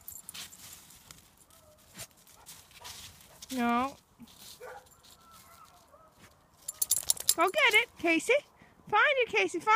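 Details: Male Golden Retriever, two years old, playing in the snow in freezing weather in Newfoundland and Labrador, Canada, gives a burst of wavering, whine-like howling sounds near the end, over a person's speech and crunching footsteps.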